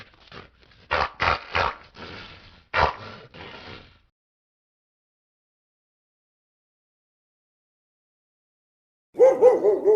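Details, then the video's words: Pit bull barking: a loose run of about six sharp, harsh barks over four seconds, then silence, ending with a brief louder, lower bark-like burst. "///TERRFICK DOG/// SOUND PIT BULL AND OTHER DOGS ////"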